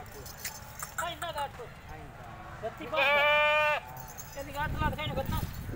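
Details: A Nagri goat gives one loud, drawn-out, vibrating bleat lasting under a second, between stretches of people talking, with lighter bleat-like sounds and jangling noises around it.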